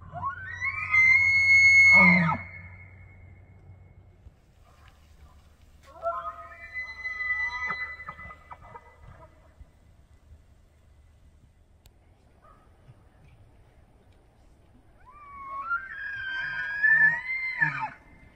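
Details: Bull elk in Banff, Alberta, Canada, bugling in the September rut to gather females and challenge other bulls; three separate bugles, each a rising whistled tone with grunting below, spaced by quiet stretches.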